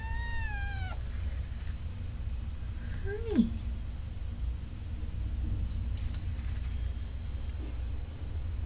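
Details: Cat giving a drawn-out, even-pitched meow about one second long, then a short meow that bends up and down a couple of seconds later, over a steady low background rumble.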